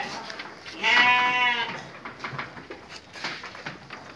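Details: Sheep feeding in the evening, one strong wavering bleat lasting under a second, followed by rustling, chewing-like clicks and soft background noise.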